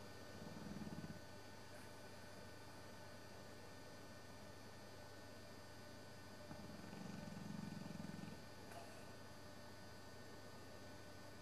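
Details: Old English Bullmastiff Sabre asleep on a Sunday afternoon, jowls flapping: two low, rough snores about six seconds apart, the second longer, against a continuous droning background.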